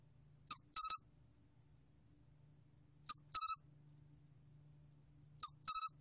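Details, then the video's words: Korean sol-gwitturami cricket, from a National Institute of Biological Resources archive of 2020, repeats a crisp pattern: one thin high note and then a clipped three-pulse trill, three times at even intervals, no other sounds. "솔귀뚜라미, 1번 듣기, 곤충소리"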